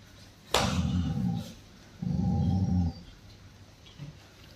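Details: Angry Rottweiler Roxy turning on its owner: a sharp click, then two low rough growls of about a second each, separated by a short gap, with a faint whine at the end.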